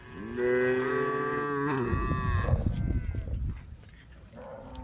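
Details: A cow from a herd on the road gives a steady, deep, drawn-out moo lasting over a second, then the sound breaks into rough, noisy rumbling that fades away.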